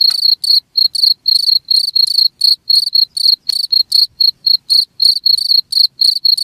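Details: Continuous high trilled cricket chirps, around four a second with small pauses between groups, recorded cleanly as a rat-deterrent playback; no other noises heard.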